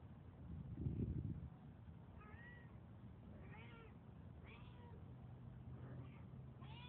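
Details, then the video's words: Hungry stray cat that followed a couple to their door at night; faint, thin rising-falling meows repeated every second or so over steady background hum, after a brief low thump. "Last night a creepy cat followed me and Hubbie to our door I fed him cause he sound hungry"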